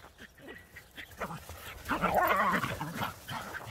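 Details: Border Collie and Jack Russell Terrier playing chase in the snow, having fun; a burst of excited, whimpering barks peaks mid-way after softer yelps, over scuffling and movement noise.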